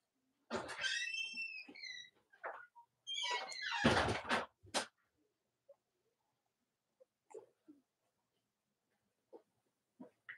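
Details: Cavalier King Charles Spaniel puppies, Robin and Myra's litters, indoors on a chilly US Monday morning: high, thin squealing whines that slide downward, followed by a burst of loud rustling and bumping, then scattered faint squeaks and taps.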